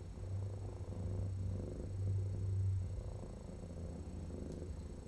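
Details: Feral female cat heavily infested with feline lice and needing dental surgery, purring during her intake exam on 2/12/2018 as dirt is cleaned from her foot; steady deep rumbling purr that swells louder midway, then eases.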